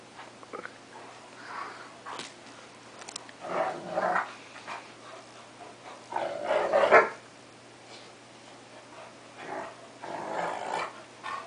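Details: Two pet dogs, a cocker spaniel and a 3/4 wolf 1/4 Akita, play-fighting; rough growls and barks in bursts around four and seven seconds and again near ten, over a steady electrical hum.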